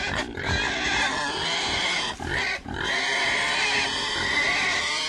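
Pigs squealing and grunting together in a dense, noisy chorus of shrill, harsh cries.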